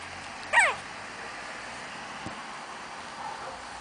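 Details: Chihuahua puppies at play: a single sharp, high-pitched yelp that slides quickly downward, lasting under half a second, followed by steady room hiss and one faint tap.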